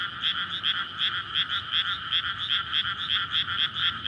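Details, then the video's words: A dense frog chorus in a flooded rice paddy in May, recorded at night near houses and a road, with bright, rapid, overlapping croaks pulsing about three times a second as frogs court to breed. "カエルの合唱(5月田植えの水田）｜フリー音素材"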